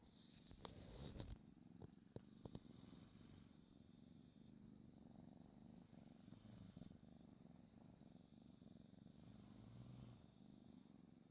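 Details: A pet cat purring close to the microphone, a steady low rumbling drone held throughout, with a few soft clicks and rustles near the start.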